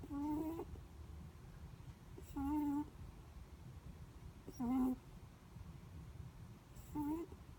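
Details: A sleeping Netherland Dwarf rabbit makes four steady, flat squeaky snores with harmonics, each around half a second long, evenly repeated about every two and a half seconds over faint hum.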